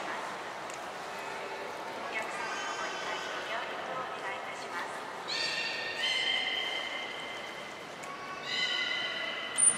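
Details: Belugas Mirai and Niko during a training session at Port of Nagoya Aquarium, February 20, 2021: steady, flat harmonic tones in two bursts, each lasting about a second, over a hiss of background noise, with fainter wavering tones earlier.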